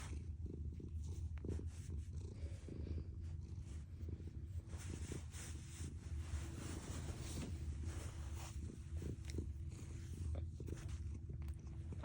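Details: Domestic cat purring loudly, a deep continuous rumbling throb like an idling engine, steady low pulses throughout with faint rustling and brief higher noises.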